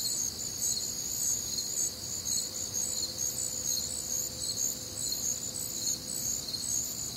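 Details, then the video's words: Many crickets calling through a warm, humid summer night in the Midwest, shrill rhythmic chirps forming an unbroken high chorus, with a faint steady low tone running beneath. "Night Time Cricket Sounds"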